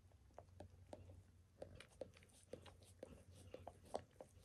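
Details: Dog named Max licking his own paws and a person's foot during a spontaneous indoor grooming session; soft wet clicks and smacks repeating roughly every half second over a faint low room hum.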